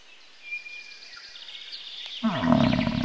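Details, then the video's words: Bison giving a deep, rough roaring bellow that bursts in after two quiet seconds and holds loud with rich layered tones to the end, preceded by faint high thin whistles in the background. "Bison sounds & What sounds does a Bison make?"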